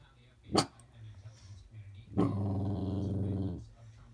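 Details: Dog barking at the snow: one sharp, short bark, then a drawn-out, harmonic growling bark lasting about a second and a half over a low background rumble.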